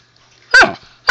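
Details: Zoey, a husky puppy, talking to her owner indoors: a loud, sharp, harmonic yelp-like call, then a second strong burst starting just before the end.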